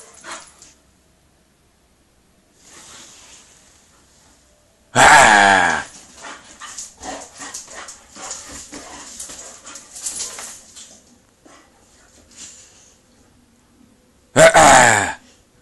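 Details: Bullmastiff playing with a Bull Terrier: two loud, harsh, harmonic barks, one near five seconds and another near the end, with scuffling, grumbling and panting noises from the play in between.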